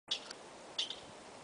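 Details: A squirrel in Yosemite gives two short, high, sharp chirps about seven-tenths of a second apart, an unusual call, perhaps calling to another; the observer wonders whether it is a male.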